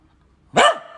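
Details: An old Fox Terrier gives a single sharp, loud bark, asking for a treat.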